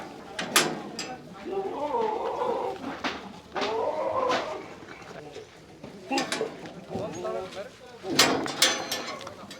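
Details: Beetal goats at Green Acre farms, Erenahalli village on Nandi Hills Main Road, Bangalore rural, Karnataka: wavering, nasal bleats of a second or so, repeated three times, with sharp knocks and clatter in between.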